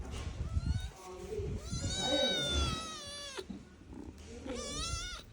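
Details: Pet cat near feeding time, with milk about to be poured into a coconut shell, giving a long, strained, harmonic-rich meow that ends abruptly, then a shorter second meow, amid a woman's speech.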